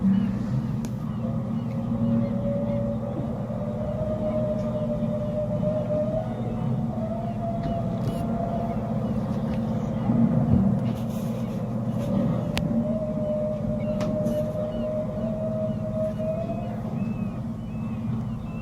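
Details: Humpback whales feeding in the Kenai Fjords, their song picked up by a boat's sonar: long, drawn-out tonal moans held for several seconds, slightly rising and falling, over a heavy low engine hum with faint bird chirps above.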